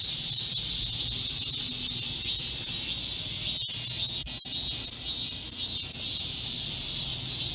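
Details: A chorus of Korean cicadas in a midsummer green forest during a July 2024 heatwave. It is a continuous piercing high-pitched drone, pulsing gently in a loose rhythm, with a few sharp clicks.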